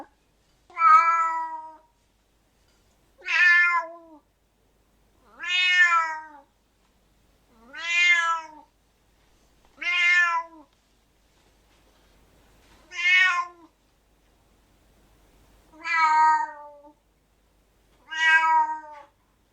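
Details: Domestic cat with loud, angry meows repeated about every two to three seconds, eight short, harsh, slightly rising cries separated by clean silence.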